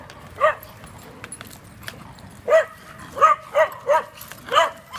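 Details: Neighbours' Dachshunds barking: about six sharp, mid-pitched barks in short bursts with irregular gaps, over quiet background hum.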